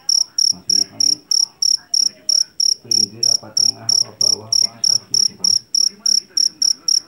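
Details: Loud Javanese field cricket (jangkrik jeliteng) taken from a rice field, chirping in sharp, evenly spaced pulse bursts roughly three per second, ringing high and piercing, with soft voices and low rumbling beneath.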